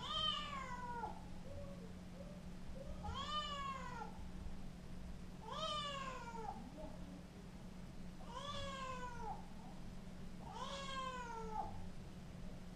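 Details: Scottish Fold cat named Chloe, a playful young female in her first half-year, meowing indoors: five drawn-out, harmonic-rich meows spaced about two to three seconds apart, each rising then falling, with a steady low hum underneath.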